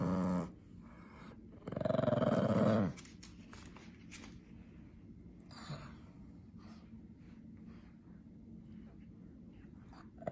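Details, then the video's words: Winston, a male Pekingese indoors, growls angrily when his toy mouse is about to be taken: two low, rough, buzzing growls, a short one at the start and a longer, louder one about a second later, followed by quiet room hum. "Pekingese Gets Angry!!"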